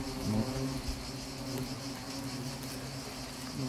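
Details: Small attack by Asian hornets at Nîmes: a dense, continuous humming drone of several wingbeat tones, slightly wavering in pitch, with faint crackling in the background.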